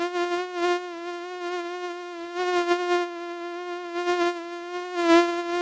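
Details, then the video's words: A common mosquito (Stechmücke) gives a thin, high whine at a steady pitch, rising and falling slightly in loudness. "Mücken Sound und Beschreibung 🦟Mücken Sound 🔈Mückengeräusch"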